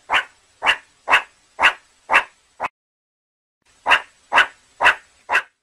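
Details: Meerkat barking: five quick raspy calls and a shorter sixth, then a second-long silence, then four more barks at about two per second.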